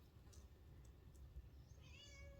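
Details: Free-roaming wild cat, fed and trained by a person, lets out a brief, steady meow near the end over a low background rumble, after a few faint clicks.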